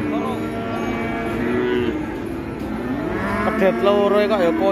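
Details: Agitated cow, raging while being released from its handler: strained, wavering lowing with rich harmonics, rising and bending near the end, set against a constant noisy backdrop with faint voices.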